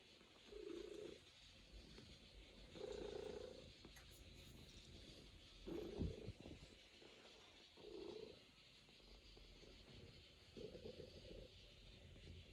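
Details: A Norwegian Forest Cat purrs while kneading on its owner's lap at home, giving steady low purr pulses roughly every two seconds, each swelling and fading, with light rustle and a small thump midway.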